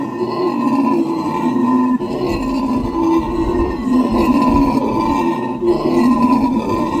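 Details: Howler monkeys making a loud racket: a sustained, deep roaring chorus that drones on without a break, with layered growling tones swelling and fading slightly every couple of seconds.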